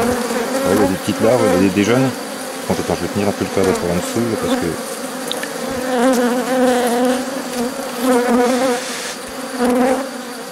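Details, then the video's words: Colony hum from a drone-laying honey bee hive being rescued, 3 May 2021, after the introduced queen cells were destroyed; a man speaks at first, then a continuous, even, low-pitched buzz fills the second half. "Sauvetage ruche bourdonneuse"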